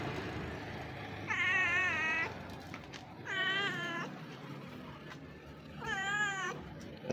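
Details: Street cat wanting to be pampered meows three times, each long drawn-out wavering cry with a rich stack of harmonics, spaced about two seconds apart, over low traffic-like rumble outdoors.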